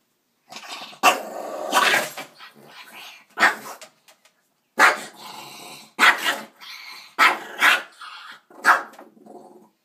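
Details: Pet dog guarding his food as someone tries to take it: harsh snarling growls broken by loud sharp barks and snaps, several bursts over ten seconds with short pauses between.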